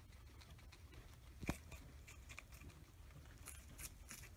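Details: Guinea pigs Oreo and Buttercup munch an oversized cucumber; soft scattered crunching bites, one sharp louder click midway, then faint crisp chewing sounds continue in a small quiet room.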